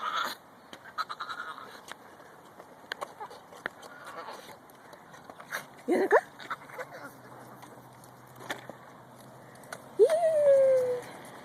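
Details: Pekingese named Kobi, female, making odd excited sounds: a sharp rising squeal near six seconds and a longer whining, falling cry near ten seconds, between scattered clicks, scrapes and a human voice speaking Telugu.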